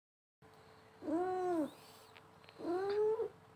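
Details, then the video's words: Paralysed domestic cat meowing indoors: two drawn-out, arched, tonal meows about one and a half seconds apart, each rising then falling, over a faint steady hum. "Talking to a paralyze cat"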